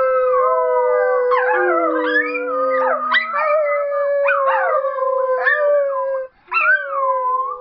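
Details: Westie-Papillon cross dog giving a sing-song howl: a steady drawn-out note with bending, yodel-like upper tones breaking in repeatedly, a lower falling tone early on, and a brief pause near the end before the howling resumes.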